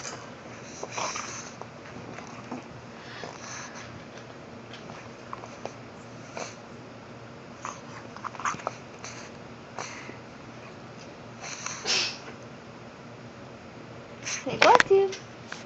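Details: Ace the pug, indoors while playing with his ball, makes scattered snorts and sniffing huffs between soft knocks, then a short squeaky whine near the end.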